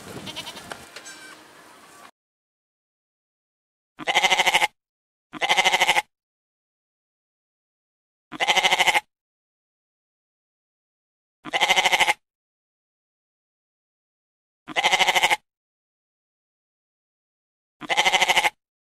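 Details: Goat bleats repeated seven times at fairly even intervals of about two to three seconds, each a short, nasal, buzzy cry, with near silence between them after a brief noisy opening.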